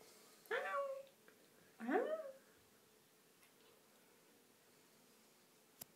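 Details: Domestic cat protesting while being bathed gives two drawn-out meows, each rising and then falling, about a second and a half apart, followed by quiet room hum and a single sharp click near the end.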